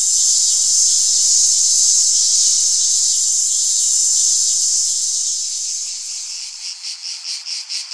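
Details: Cicada. A cicada fills the air with an intense, high-pitched droning buzz. Toward the end the steady whine fades and breaks into quick, rhythmic pulses, several each second.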